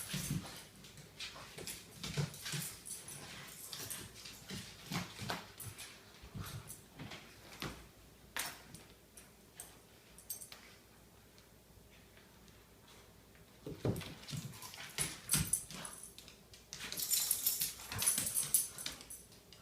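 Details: Morning play-fighting between household dogs: fast, irregular runs of huffs, growls and scrabbling, a lull of about three seconds midway, then the rough, noisy wrestling picks up again, loudest toward the end.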